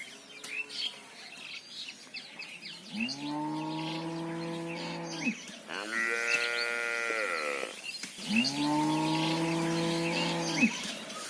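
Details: Mother cow, called Gou Mata, mooing for her calf: two long, deep, steady moos with a higher, brighter moo between them, each lasting about two seconds, over faint bird chirps.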